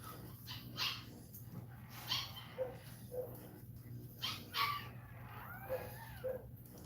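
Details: Cane Corso crying indoors while another dog is in labour: short whimpers and yelping whines, some rising and falling, come in bursts every second or so, with a steady low electrical hum underneath.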